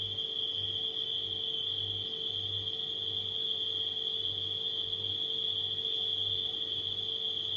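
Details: Nighttime crickets form a steady, unbroken high-pitched trill, blended with the constant low hum of a household refrigerator whose drone pulses gently throughout.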